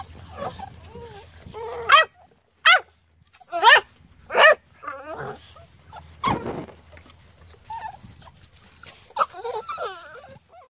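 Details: Norwegian Elkhound dogs, a full-grown female, her puppy of about six months and the puppies' father; high whining yelps with sliding pitch, four loud bursts between two and five seconds, then softer broken whimpers over a low hum.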